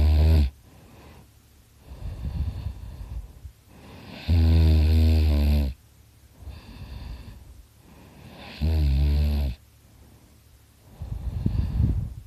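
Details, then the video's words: Dakota the dog asleep and snoring very loudly: deep buzzing inhaled snores roughly every four seconds, each trailed by a softer rustling exhale, a steady sleeping rhythm. "Dakota snoring his butt off!"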